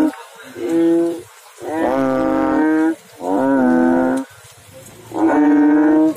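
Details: Frog calling in water, giving loud, steady, droning notes rich in overtones, each lasting about a second and separated by short silent gaps, with a slight downward bend at the end of some notes.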